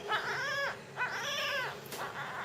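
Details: Baby jungle cat being fed calls in two clear, arching mews about a second apart, each rising then falling, followed by a softer third cry and a brief click.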